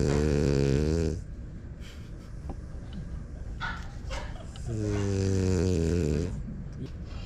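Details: Smile, a pied female French Bulldog, snoring indoors. Two loud, drawn-out harmonic rasps of about a second each open and close the clip, with softer breathing and small rustling noises between them.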